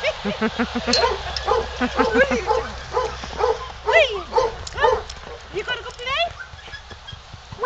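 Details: Siberian Husky at an SPCA shelter, out in snowy weather while awaiting adoption; rapid run of yips and rising-falling howly cries, about two per second and uneven, mixed with a person talking.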